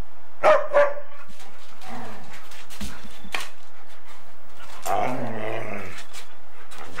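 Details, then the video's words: Golden Retriever and Samoyed playing bitey face and chasing each other, from 8mm tape. Two sharp barks come close together near the start, a few softer scuffles follow, then a longer rumbling growl near the end. "Golden Retriever and Samoyed play Bitey Face"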